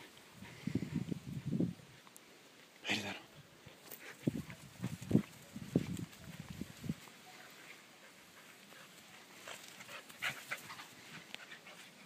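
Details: Two Samoyeds, mother and daughter Darma and Aissy, playing together; low, rumbling grumbles and growls come in short bursts early and again mid-way, with a sharp broadband knock near three seconds and quieter scuffling toward the end.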